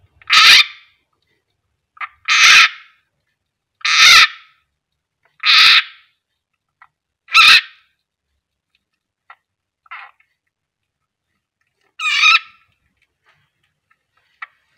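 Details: Frog screaming while a captive keeled rat snake (Ptyas carinata) feeds on it: six loud, harsh, broadband shrieks about every one and a half to two seconds, then a few fainter, shorter cries and clicks in near silence.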